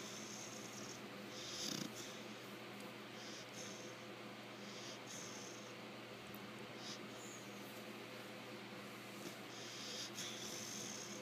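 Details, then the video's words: Sleeping female American Bulldog puppy named Lecka, five months old, snoring away. Airy rasping breaths come in an uneven rhythm, with a brief louder snort early on over constant low background hum. "Lecka snoring away"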